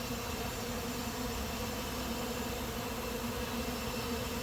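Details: A late-season honey bee swarm moves into an empty hive; a loud, even buzzing hum of countless bees, steady in pitch and volume across the whole stretch.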